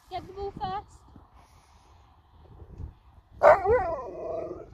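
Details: Sherpa the Alaskan Malamute, in a love-hate moment with the family's daughter, gives a sudden loud, warbling, drawn-out howl near the end, after brief speech and a quiet stretch.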